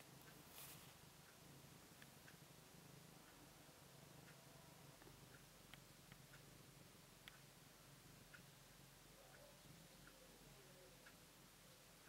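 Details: Newborn Siamese kittens, born on September 14th, heard indoors as a low, steady, continuous purr running through the whole stretch, with a few faint soft ticks and rustles on top.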